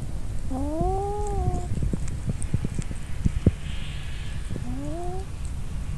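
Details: Kitten recorded indoors on a mobile phone camera: two drawn-out, slightly rising mews with clear harmonics, the first about a second long, the second shorter near the end, over low rumbling background noise and scattered clicks.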